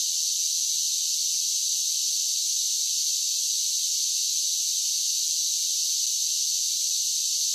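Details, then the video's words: Cicadas in summer form an unbroken, shrill, buzzing wall of sound that holds level and even throughout, with nothing else heard. "Cicada Sounds"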